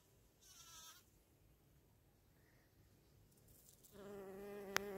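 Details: A female bumblebee gives short, intense, higher-pitched harmonic buzzes while vibrating a flower to release its pollen; the tone changes when she flies off.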